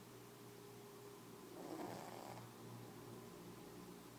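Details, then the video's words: Dreaming in her sleep, cat Mia lets out a single hoarse snore of about one second, framed by quiet breathing and a steady low hum. "Snoring cat"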